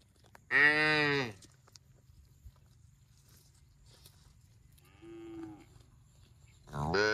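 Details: Cattle lowing: a loud one-second moo with strong harmonics, a softer shorter moo around the middle, and another loud bellow starting at the end; low background hum.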